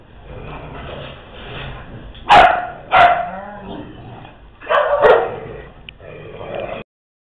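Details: Dogs at play barking in short sharp bursts: two loud barks about a second apart, a pause, then a clustered run of barks near five seconds, over a steady low background hum.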